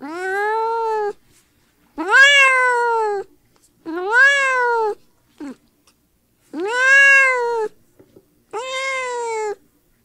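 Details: Series of five long cat meows and one brief chirp, each rising then gently falling, spaced roughly two seconds apart, strongly harmonic and loud; cat noises played to stir up dogs.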